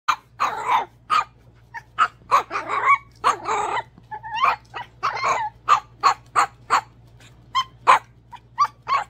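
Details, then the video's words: Izzy B, a tiny pet Chihuahua, vocalizing when too small to play with the big dogs: a quick series of short, high-pitched yips and barks, about twenty bursts over nine seconds, some drawn out into whiny yelps, in a quiet room. "The Cute Sounds Of Izzy B, The Tiny Chihuahua [When You're Too Small To Play With The Big Dogs]"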